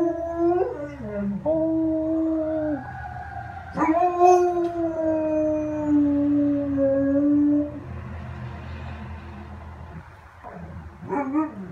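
A German Shepherd howls in long, drawn-out tones that rise, hold and slowly fall.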